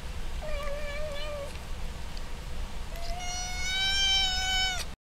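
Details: Herschel, a noisy pet cat, meowing while chewing and eating; two long, clear harmonic meows, the first steady and mid-pitched, the second longer, louder and slightly higher, separated by a short pause.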